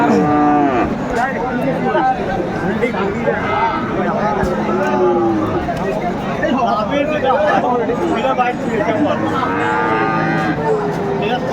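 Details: Friesian and crossbred bull calves at Aftabganj cattle market, Dinajpur, Bangladesh, on 10 September 2024: several drawn-out moos, one near the start and another near the end, over steady crowd chatter and bargaining voices.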